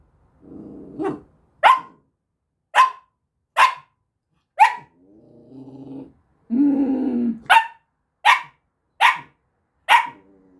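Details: Samoyed puppy demanding attention with a run of short, high, sharp barks spaced about a second apart, broken by lower grumbling whines and growly moans in between.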